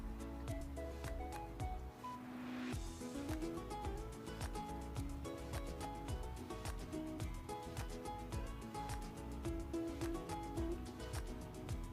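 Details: Quiet background music with a regular beat and soft melodic notes throughout, no animal sounds.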